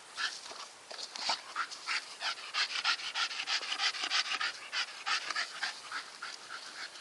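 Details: Staffordshire Bull Terrier named Nikita panting steadily: fast, rhythmic, hissing breaths at about three per second, loud and regular throughout seven seconds, with no other clear sounds.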